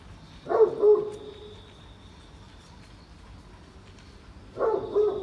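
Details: A rainy morning walk at Oyama Yuen Harvest Walk with a Great Pyrenees, a giant breed. Two separate double woofs, each trailing into a sustained mid-pitched tone, are spaced about four seconds apart over soft rain.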